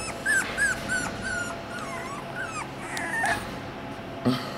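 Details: Young Miniature Australian Shepherd puppies of one litter, born on 1 January 2021, giving high whistly whimpers, drawn-out whines and short squeaks in quick succession, several pups crying over a faint indoor hum.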